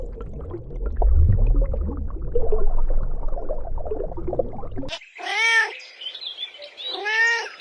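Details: Kittens playing on grass, chasing butterflies; about five seconds of rumbling, handling noise, then two short, arched meows close together.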